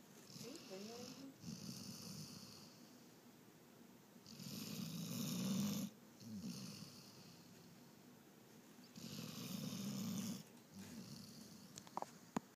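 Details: German shorthair asleep and snoring: low, rattling snores come in long drawn breaths about every four to five seconds, with soft hissy exhales between them and a quiet room around.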